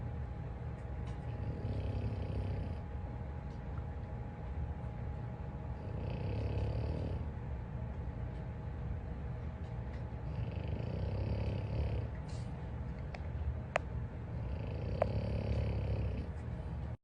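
Deep, rasping snores from a French Bulldog rise and fall in a loose rhythm, each breath a low, rattling rumble. A faint steady household hum runs underneath.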